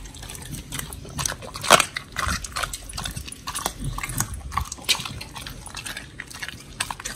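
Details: Two pit bulls, Oli and Nommy, on a raw prey-model diet eating giant white snapper: loud sloppy, wet chomping and crunching with one especially sharp crack early on.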